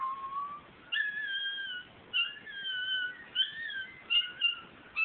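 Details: A male Miniature Schnauzer howls along indoors to Carrie Underwood's song "Undo It", as he does every week. His long, wavering, high-pitched tones slide up and down between short breaks.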